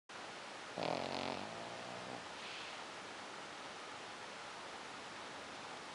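A sleeping Pekingese gives one rattling, buzzy snore, followed by a softer breathy exhale against steady room hiss.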